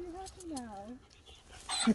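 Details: Husky Sherpa, just woken up happy and surprised after sleeping the whole journey, gives soft wavering whines that dip and slide downward over about a second, then quiet rustling and a person's voice.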